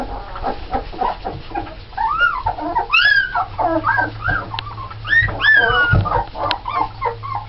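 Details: Red Alaskan Malamute puppies from a litter of nine born November 1st 2010 fuss with quick busy whines and clucking yips, broken by a few longer arched squeals near the middle, over a low steady hum.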